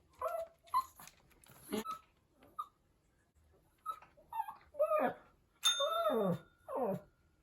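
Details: Pomeranian puppy howling while missing its mother, a run of short whimpers and yips followed by longer wavering howls that slide downward, with brief gaps of quiet between bursts.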